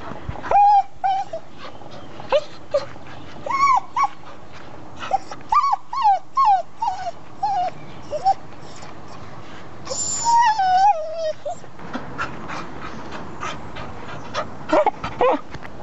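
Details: Crying for his blanket, a red male English cocker spaniel produces a steady stream of short, nasal whimpers, about two per second and irregular, some bending upward then dropping, with a woman speaking French over them.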